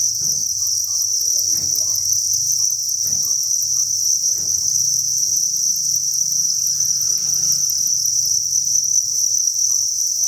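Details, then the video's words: Crickets at a cricket farm breeding facility, thousands chirping as one constant high-pitched buzzing chorus, with occasional faint taps and a low droning hum. "Cricket Chirping Sound"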